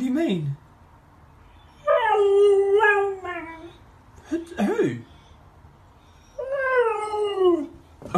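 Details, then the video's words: Dogs howling in two long, wavering bouts, each starting with a higher rise and sliding gradually lower over about a second and a half, separated by short yelps, with background music and brief voices. "Funny Dogs Howling"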